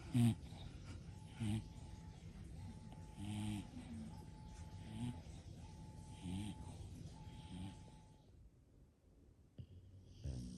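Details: English Bulldog from a home with five bulldogs snoring in short, rough low rumbles about every one to two seconds, with a steady faint tone running underneath and a quieter stretch near the end.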